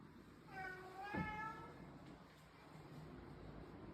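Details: Male domestic cat calling mostly at feeding time, especially when wanting chicken, in a drawn-out meow likened to 'amma'; one long wavering cry then a shorter second one, over a low background hum.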